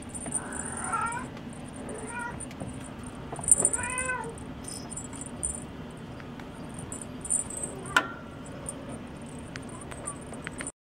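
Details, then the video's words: Munchkin kittens, born January 2015, playing at five in the morning at a cattery; a few scattered, fairly soft meows, one clearer arched call mid-clip, against quiet room hiss and occasional clicks. "マンチカン 子猫ちゃん 朝5時の遊び"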